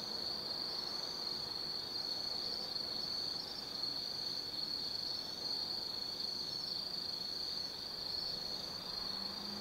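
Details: Autumn insects calling at night in the forest of Tsukimi no Mori, Kaizu, Gifu Prefecture, Japan, near a lookout 180 m above the Nobi Plain: a steady, unbroken high trill with faint low background hum.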